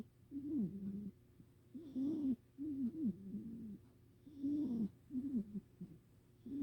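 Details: Sleeping rescued house cat snoring indoors: low, wavering whistled snores in paired bursts, a nasal tone that bends up and down, recurring about every two seconds with quiet breaths between.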